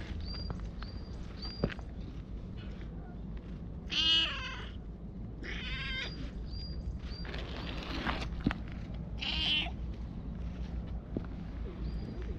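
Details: Stray cat at a shrine, meowing in short harmonic calls, two clearer meows around the fourth and ninth seconds among faint high chirps and steady low background rumble outdoors.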